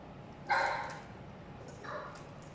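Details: Dog at mealtime, noted as having no food aggression: one clear bark at half a second, then a softer second bark near two seconds over faint background hiss.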